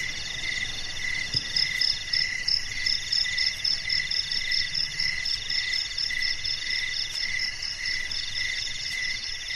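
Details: Crickets at night in a garden: several layered, high, pulsing chirp trains run steadily without pause, one shrill band rapidly beaded, another throbbing in short bursts, over a faint low rumble.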